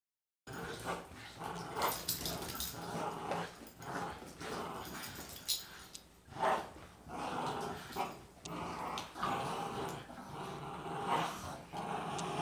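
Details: Two Boston Terriers, one of 18 lb and one of 40 lb, growl while playing tug-of-war. Rough, noisy growls rise and fall in uneven bursts across the clip, with scuffling in between.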